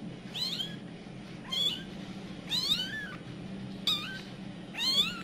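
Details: Domestic village cat, a mother in a panic as her kittens scatter: five high, arching meows over about five seconds, each sliding up then down, separated by short pauses, over a low indoor hum.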